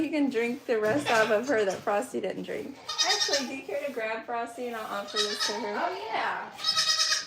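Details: Several goats bleat almost without pause at The Willful Goat Farm & Home, their quavering, nasal cries overlapping in a dense chorus that keeps dipping and climbing for the whole stretch.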